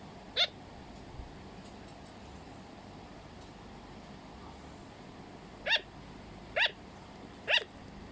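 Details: Pet sugar glider giving short, sharp yapping barks: one isolated bark, a long quiet pause, then three more spaced about a second apart, each a brief bright burst over a soft steady background hiss.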